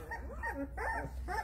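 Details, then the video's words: A litter of young puppies whose noise wakes the household cats, heard as overlapping high whimpers and squeals that rise and fall in short wavering bursts, several at once, over a low steady hum. "WAKING UP TO THE NOISE OF MAMA JESSY'S PUPPIES"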